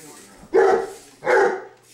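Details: Indoors, young English mastiff Dozer, aged seven months, is chasing a remote control buggy car. He lets out two booming barks about three quarters of a second apart against a quiet room.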